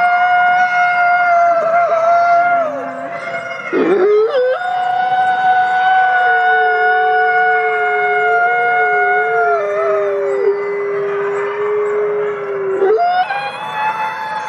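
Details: Wolf howls used for communication among wolves in a forest: multiple long, smooth tones overlap, broken by a short sharp downward yelp, then one voice holds a steady note while another slowly slides lower.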